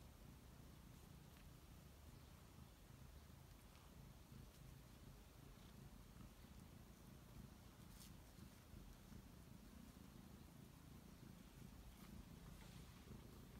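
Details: A Scottish Fold kitten playing with a feather purrs steadily, a low continuous rumble with no meows.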